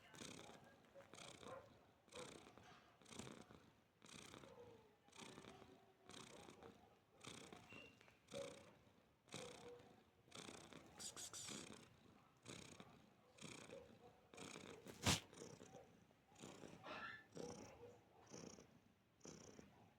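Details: Domestic cat relaxing with a person, purring steadily in a rumbling rhythm, each inhale and exhale cycle about a second long, with one sharp click near the fifteenth second.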